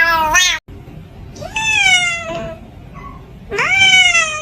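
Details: Kitten producing strange, drawn-out meows: a short cry, a long gently falling wail, a faint chirp, then another loud rising cry, all strongly harmonic against a quiet background.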